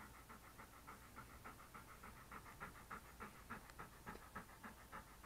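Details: English Cream Golden Retriever, a male pet dog sitting by a desk indoors while being petted, recorded close up on a SJCam SJ4000 action camera; steady, soft breathy pants repeat about three to four times a second.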